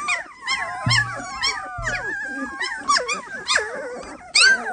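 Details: Samoyed puppies making a chorus of long, sliding, high-pitched whines that wobble up and down and overlap, with a couple of brief low thumps and one sharp louder yelp near the end.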